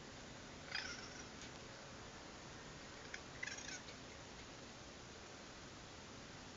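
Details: Two brief, harsh, squealing cries from a raccoon at night, caught on a security camera, over a steady background hiss.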